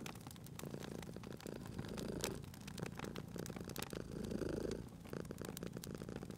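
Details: Cozy fireside purring from a cat: steady low rumble swelling and easing with each breath roughly every second or two, while burning logs snap and crackle loudly over it.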